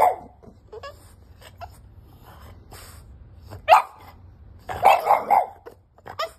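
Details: A five-month-old French Bulldog puppy, wanting to get into the bed, barks in short, high-pitched, insistent yaps, some single and some in a quick burst of three, with quiet pauses and faint rustling between them.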